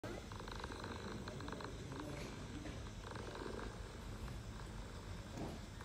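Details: Homeless mother cat with her kittens on an Istanbul street, purring as she talks to them: a steady low rumbling purr running through the whole stretch, with faint street background.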